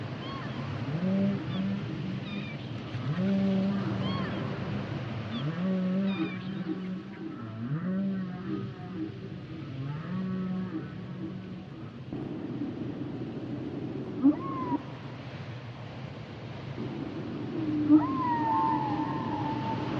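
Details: Humpback whale singing in layered phrases of low, mooing, harmonic moans that rise and level off in repeated units, followed by a higher drawn-out wail and scattered chirps against a constant underwater hiss.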